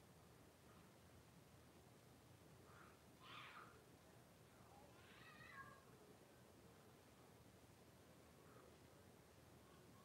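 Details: Blenheim Cavalier King Charles Spaniel puppies, a litter of five born at New Year's, in a home puppy pen with their mother Paris on 26 January 2023; two faint, high, wavering whimpers a couple of seconds apart over a steady background hiss.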